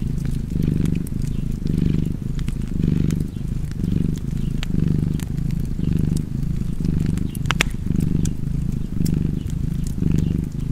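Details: Rhythmic purring of a cat near a fire, the soft rumble rising and falling about once per second, around ten breaths in all, with occasional snaps of crackling wood.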